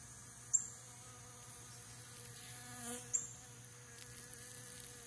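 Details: Three western honey bees collecting pollen from centipede grass: a low, steady wing buzz hums beneath two sharp knocks as the phone camera is dropped.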